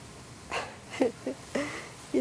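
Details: Lucy, the orange cat, about 10 years old, loud and hyper, with Sam the cat on 9-26-11; a quick run of four short, clipped, mid-pitched meows within a second, mixed with a few soft human words.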